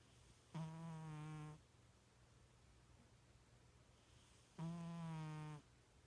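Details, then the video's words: Two even, humming snores from a sleeping pet cat, likened to a little pig, each lasting about a second and about four seconds apart, separated by near silence over a low steady hum. "My Snoring Cat!"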